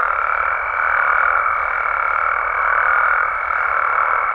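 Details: Frogs and toads calling at night in Mexico form a dense, unbroken chorus of overlapping croaks in a mid-pitched band, with a thin steady higher tone running through the whole stretch.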